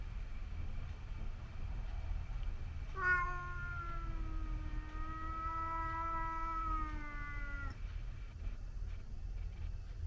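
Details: Scottish Fold cat fighting a white outdoor cat that visits the garden: one long, drawn-out yowl lasting about five seconds, steady and slightly falling toward its end, over a low rumbling background.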